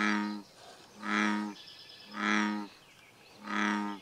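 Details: Bullfrog at Bombay Hook National Wildlife Refuge giving deep, resonant, droning croaks. Four evenly spaced half-second calls roughly once a second, each a rich harmonic rumble with a slight swell and fade.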